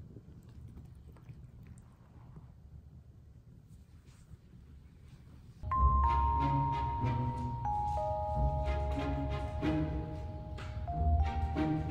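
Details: Faint room hum for several seconds, then bright xylophone and glockenspiel music with low bass notes, and no animal voice.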